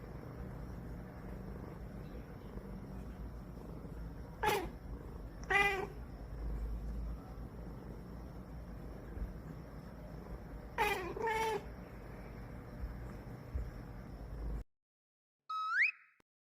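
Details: Sleepy cat fussing before bedtime: short whiny meows in spaced pairs, some rising, separated by long quiet stretches over a constant low hum; a brief clean high meow comes after a sudden cut near the end.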